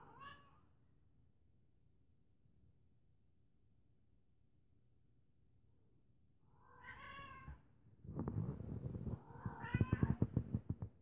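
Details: A female feral cat, rescued seven weeks earlier at minus 29 degrees Celsius, meets the household cat indoors as she comes out from hiding. Short meows sound at the start and again near seven seconds, followed by rustling and a louder meow.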